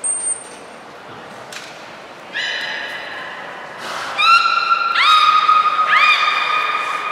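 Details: Beluga named Hodoi during a training session for gastric fluid and blood sampling at Port of Nagoya Public Aquarium, 6 January 2019. A thin high tone opens, then stacked harmonic whistles start at about 2.5 seconds and overlap, each held steady and level.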